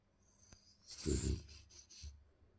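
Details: French Bulldog giving affection to its owner during its morning routine: one breathy, rumbling snort-grunt mid-clip with hissing breath, followed by a softer snuffle, in a quiet small room.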